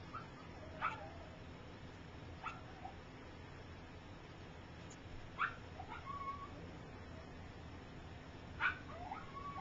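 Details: Gypsy's puppies at three weeks old, taking first steps, utter brief high squeaks and a short whine, scattered irregularly over a quiet, humming room.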